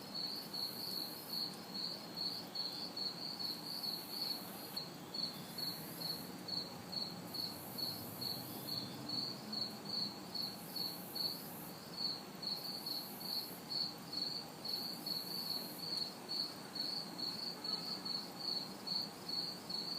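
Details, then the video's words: Crickets and cicadas recorded in a city backyard on a hot, humid summer night: a steady, high-pitched pulsing chirp repeated about twice a second, with broader cicada-like buzzing swells overhead and faint distant traffic hum beneath. "Summer Night Sounds ~ Crickets, Cicadas"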